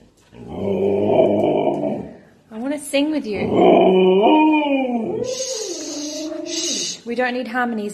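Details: Pet husky Key makes rough, growly 'talking' sounds mixed with wavering howled tones in several bursts, shifting between gravelly and clearer pitched notes, indoors.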